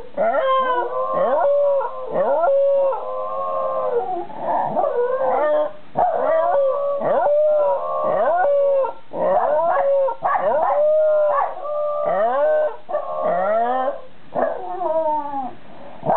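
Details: At 6 pm on 20 July 2018, white Shiba Inu Chiro and Jack Russell Terrier Ran keep up an evening howl: a sustained, even tone under overlapping quavering cries and falling yips, rising and breaking roughly once a second.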